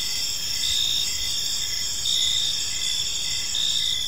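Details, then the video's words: Crickets calling in a park on an evening, a high, steady buzzing trill with slower pulses swelling every one to one and a half seconds. "Park Serenade: Cricket Sounds in a Peaceful Park | Evening Ambience"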